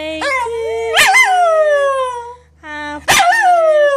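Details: A female Scottish Terrier "sings" along to Happy Birthday, howling in drawn-out, wavering tones broken by two sharp yips.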